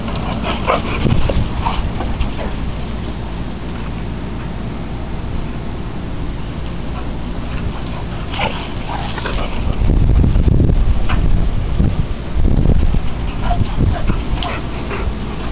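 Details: Rope play between Dallas, an American Bully, and Sadie, a Boxer: low throaty rumbling continues throughout, swelling louder near the end with heavier growling bursts, alongside light yips and some background talk.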